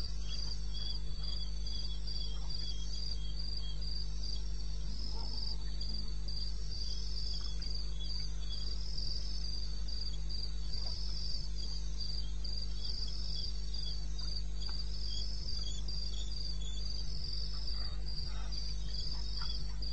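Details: Wild crickets calling at 2:30 am, 21 May 2016, in the eastern Botswana wilderness: an unbroken, highly regular shrill pulsing chirp sustained throughout, backed by a low droning hum and very little else.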